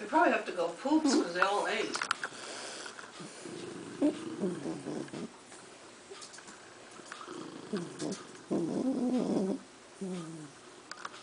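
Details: Jack Russell Terriers indoors as older dogs meet a new 5-month-old pup: rumbling low growls and grumbling whines in uneven stretches, with quieter pauses between.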